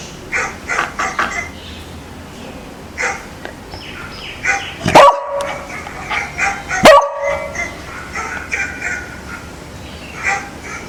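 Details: A beagle reacts to strange played sounds with two loud, sharp barks about two seconds apart, against soft background noise and faint chirpy sounds.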